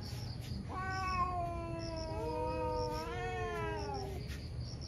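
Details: Pair of fierce cats in a morning fight, one letting out a sustained wavering caterwaul that holds steady then climbs slightly in pitch over about three seconds, with faint repeated chirps behind.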